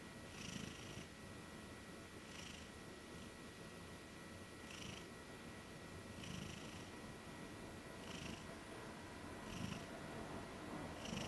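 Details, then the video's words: Chubby female Maine Coon fast asleep on a bed while being cat-sat; a run of about seven soft, rhythmic snoring breaths across eleven seconds, each a low rumble with an airy hiss, in a quiet room with faint electrical hum. "Cute kitty snores while taking a nap. (maine coon)"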